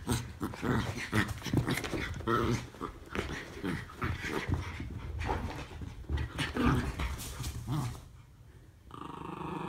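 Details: Play-wrestling Norfolk Terriers Ernie and Hank growl steadily in low, throaty bursts for most of the clip, which ends with a brief quiet spell and then a steady background hum.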